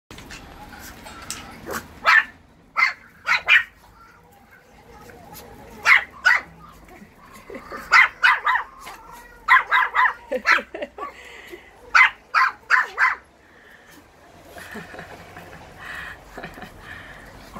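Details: Russian Toy puppies at play, giving sharp high-pitched yaps and yips in quick bursts of two to four, with short pauses between, and a woman speaking softly nearby.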